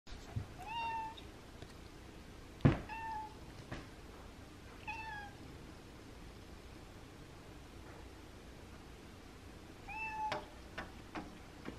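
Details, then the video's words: Abby, a pet cat, meowing indoors to ask for the window to be opened on a cool, windy Monday; four short, clear meows with a slight rise, spread over the clip, alongside a few sharp taps and knocks. "Cat begs me to open the window"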